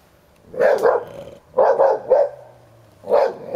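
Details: Old Hovawart, ten years, defending his toy in rough play with a young American Staffordshire Terrier; loud harsh barks in clusters of two or three, bursts spaced about a second apart, with low rumbling between.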